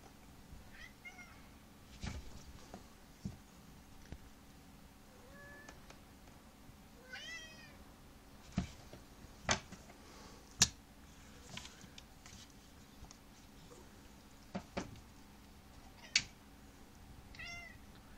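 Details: Pet cat indoors during play, giving a few soft, thin meows with a quick chirping run of rising notes near the middle and a short mew at the end, with sharp clicks and knocks from play scattered throughout.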